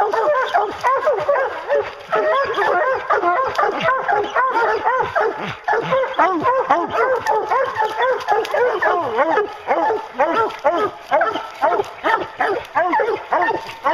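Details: Several hounds baying at a treed bear while bear hunting, a dense chorus of overlapping arched bays about twice per second, continuous and excited, with a man's voice briefly in the background.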